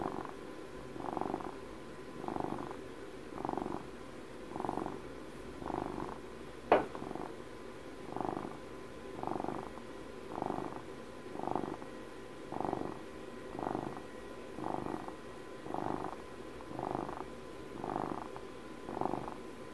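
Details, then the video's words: Pet cat, twelve years old, purring contentedly indoors close to the listener: a long, even series of about seventeen rumbling swells, one each second or so, with a single sharp click partway through and faint background hiss. "ASMR CAT PURRS"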